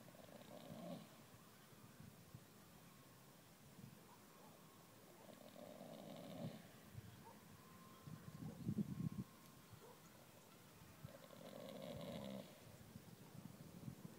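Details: Sleeping Dales mare snoring deeply, with rasping, buzzy snores that swell and fade, returning roughly every five to six seconds, and softer breathing between them.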